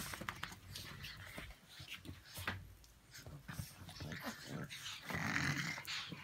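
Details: Brussels Griffons Ivanka and Misha at a pyjama party: rough, grumbling growls and snuffly bursts come in quick, uneven succession indoors, with a louder growling stretch near the end.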